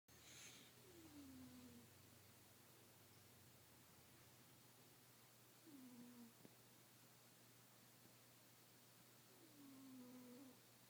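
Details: Sleeping kitten snoring softly: three drawn-out, falling, tonal breaths about four seconds apart, each sliding gently downward, over a quiet steady hum.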